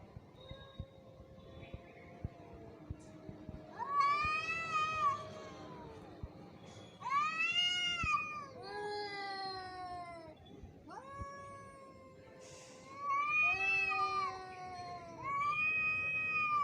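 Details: Angry cat fighting, giving long wavering yowls with strong harmonics, several drawn-out howls rising and falling in pitch over about seventeen seconds, with short pauses and faint clicks between them.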